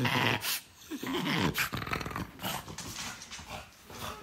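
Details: Indoor pet dog barred from the bed, growling in a wavering, rising-and-falling grumble with short loud yelps between, a brief protesting outburst inside a small room.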